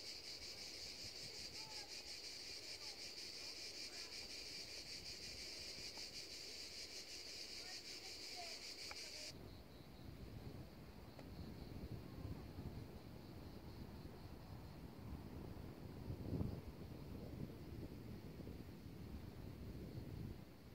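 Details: Cicadas singing by the seaside: a dense, steady, high buzzing drone holds for about nine seconds, then cuts off abruptly, leaving the rushing surf of the ocean and gusts of wind.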